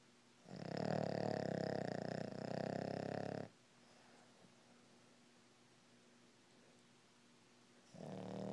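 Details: A sleeping Boston Terrier, caught in REM sleep, snores with a loud, rattling breath lasting about three seconds, then another begins.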